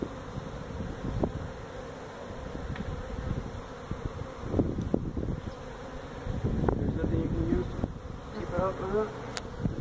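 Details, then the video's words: Feral honey bees from a hive built inside a tractor tire, in a tire stack at a citrus orchard in Mission, Texas, during removal. A steady low hum of the colony runs beneath scattered knocks and thumps, with a brief voice near the end. "Honey Bee hive removal in a tractor tire"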